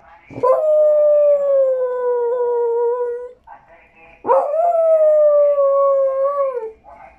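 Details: A dog cries for a tamal with two long howls, each opening in a sharp rising yelp, then gliding steadily downward over roughly three seconds before fading out.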